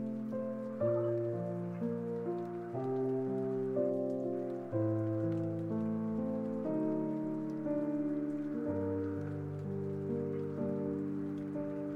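Soft sustained music with slow chord changes every couple of seconds over a steady patter of rain; no animal voices.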